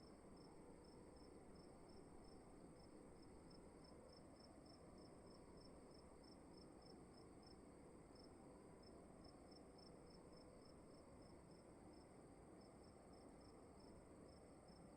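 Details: Crickets in a quiet room, giving short high chirps repeated steadily about every half second throughout, over a constant low hum of room tone.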